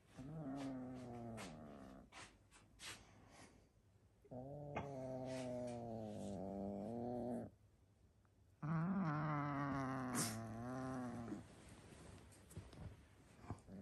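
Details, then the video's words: Domestic cat growling to keep his favourite toy from his owner; repeated deep growls that waver and rise in pitch into a moaning, yowl-like tone, with clicks and rustling between them. "Kitty growls like a puppy when I try to takes his favorite toy"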